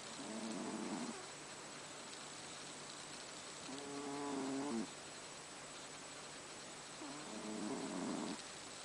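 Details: Pet cat Haru asleep and snoring: three gravelly, buzzing inhalations roughly three seconds apart, each swelling for about a second, over a quiet, even background hiss in a dark room.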